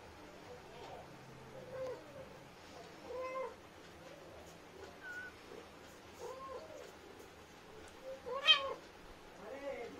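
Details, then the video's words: A talkative Indian street cat, a mother with her kittens, calling to them: soft, short chirping meows and trills every second or two, one louder meow near the end, in a quiet setting. "Mama Cat Talking To Her Beautiful Kittens"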